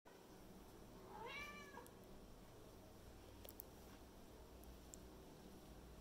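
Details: Kitten, female, talking to her toy monkey indoors: one short high meow with rising-falling harmonics around one second in, then quiet room hiss with a few faint clicks.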